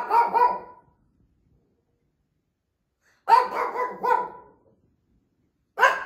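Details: An older Shih Tzu barks non-stop after dark in quick clusters of high, yappy barks separated by short silences; her owner thinks she hears another dog barking.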